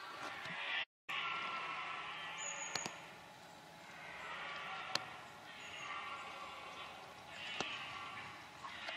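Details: Rutting red deer bellowing, recorded while approaching on foot. Several drawn-out, hoarse roars rise and fall in waves, broken by sharp knocks and a brief dropout near the start.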